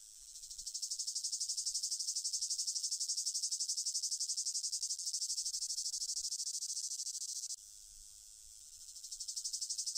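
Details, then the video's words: Cicada buzzing: a sustained high rasping trill of fast even pulses that swells in, drops abruptly, then builds up again. "som de cigarra"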